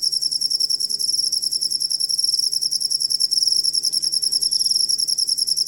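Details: Cricket used as a master track for teaching Indonesian songbirds: continuous high, shrill pulsed chirps repeating about three times per second, even and unbroken throughout, over a faint low steady hum.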